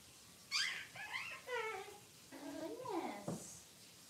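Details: Six-week-old Cavalier King Charles Spaniel puppies indoors in their puppy pen while being dewormed and having toenails trimmed; several short high yelps with falling harmonic squeals, then a longer wavering whine rising and dropping, in a quiet small room.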